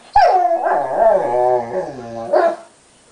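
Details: Sombra, a dog who hates to share, cries because Decker holds a tiny piece of his chew bone; a long, strained whine with a sharp onset, wobbling pitch and a final short upward yelp.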